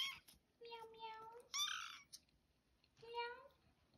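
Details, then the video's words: First meows from a kitten in a room: a long flat mew, then a shorter rising one, with a person's voice talking between the calls. "first Meow"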